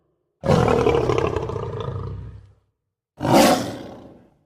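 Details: Lion. Two powerful, gravelly roars from a lion, separated by a brief silence. The first rumbles on for about two seconds and trails off, and the second bursts out louder before dying away.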